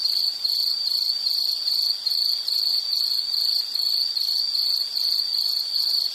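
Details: A single insect voice from a calming nature recording: a sharp, high trill in clean repeated bursts, about two and a half each second, rhythmic and steady from start to finish.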